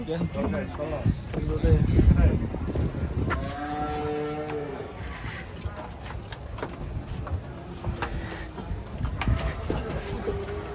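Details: Fat cattle that failed to load: a deep moo rises and then holds for about a second midway, with a fainter low lowing later on. Engine rumble, clatter and people talking surround it.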